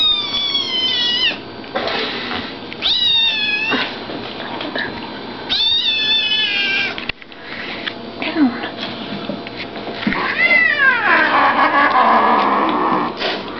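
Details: Brown rosetted female Bengal cat growling while playing indoors, drawn-out harmonic growling calls each lasting about a second, repeated four times with short gaps, the last one longer and sweeping downward, with rustling and faint voices between them.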